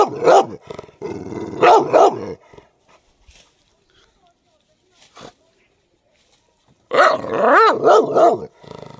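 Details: A white dog lets out a fast run of harsh, arching barks, goes quiet for several seconds apart from faint clicks, then resumes with another rapid burst of barks.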